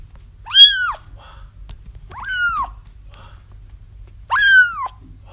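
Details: Kittens crying, recorded to help lure a feral mother cat into a trap: three high, harmonic mews, each rising then falling, about two seconds apart, over a low steady hum.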